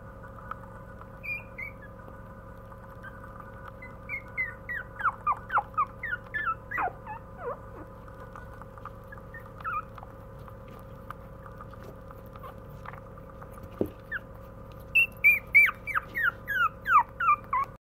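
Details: Puppy giving runs of thin, high, falling whines, a cluster near the middle and a louder, faster series near the end, with quiet pauses and a constant background hum.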